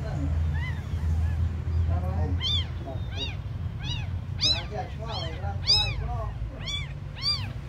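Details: Abandoned kittens, among the smallest, give loud, piercing mews, each one an arched cry, repeating roughly every half second to a second. A low hum runs beneath.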